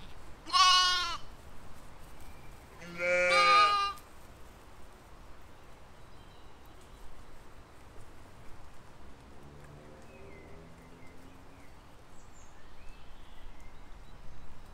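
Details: Two loud, quavering baas from grazing sheep and lambs in a spring field, recorded in 2020, follow each other within three seconds. A faint lower bleat sounds later amid quiet outdoor ambience.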